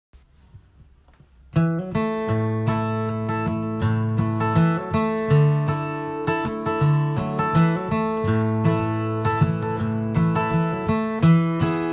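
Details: Strummed acoustic guitar music plays steadily throughout, with rhythmic chords after a brief quiet opening. No animal voices can be picked out.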